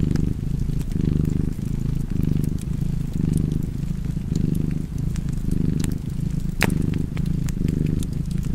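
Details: Steady, rumbling cat purr with rhythmic breath swells near one per second, accompanied by intermittent crackling and a loud pop from a nearby fireplace.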